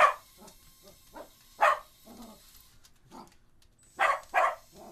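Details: Cocker Spaniel barking at a mini drone: single loud, sharp barks spaced irregularly, with a close pair near the end, and soft whining yips between them.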